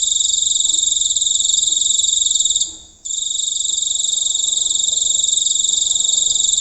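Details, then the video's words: Loud shrill trilling of a giant cricket recorded nearby on a countryside night, sustained almost throughout, fading once into a single short pause before resuming at full strength. "Suara Jangkrik Raksasa Jelas Di Ambil Langsung Dari Dekat Di Suatu Malam Di Pedesaan"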